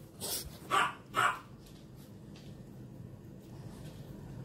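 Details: Puppy playfully chasing the older dog Kobisch indoors; two short, sharp barks about half a second apart, followed by quiet room noise.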